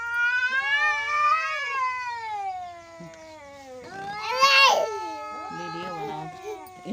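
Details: Angry cat giving long, drawn-out wavering yowls that rise and fall in pitch, then a harsher, louder strained burst midway, followed by shorter, softer moaning calls.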